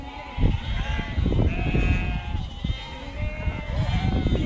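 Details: Flock of sheep at Snowdon, UK, 1 September 2019, driven by a herding Border Collie; drawn-out quavering bleats overlap one another over heavy low-pitched wind noise.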